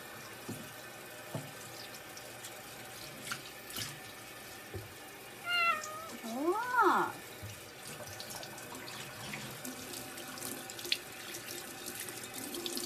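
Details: Domestic cat named Newt, wet during a bath. One short, arching meow rises and falls midway, with a softer cry just before it, against running sink water and quiet handling noises.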